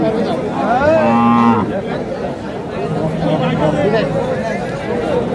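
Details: Thin, bony cow at Aftabganj livestock market on 24 March: one low, harmonic-rich moo lasting about half a second near the start, over steady crowd chatter and bargaining voices.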